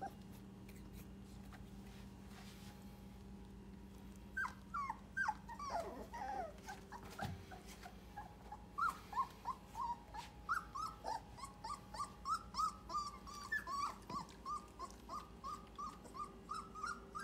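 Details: English Cream Golden Retriever puppies indoors, producing quiet background hum at first, then a run of short high whimpers and yips, several per second, each a brief rising-falling squeak, continuing steadily to the end.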